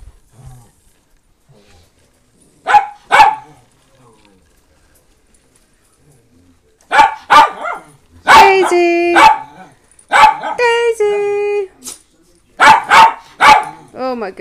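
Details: Pet rescue Miniature Pinschers and a Doberman at home: scattered sharp barks in short bursts, interleaved with a woman talking and drawn-out sung-like vocal notes, with quiet stretches between.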